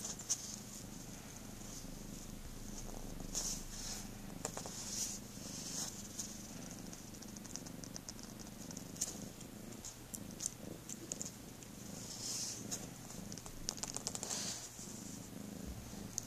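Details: Cat purring indoors: a steady, soft low rumble running throughout, overlaid with faint wet clicking and smacking sounds.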